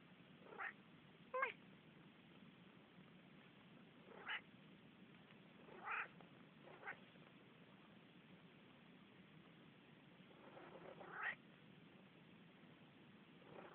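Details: Talkative Manx cat vocalizing: a series of short, bright meows at irregular intervals, about seven calls spread over fourteen seconds, some rising and some falling, over a quiet indoor background hum.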